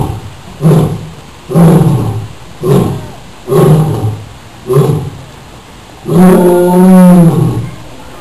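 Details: Lion at the Rio Grande Zoo roaring: five short, deep grunting pulses about one per second, then a longer sustained rumbling roar with a wavering tone.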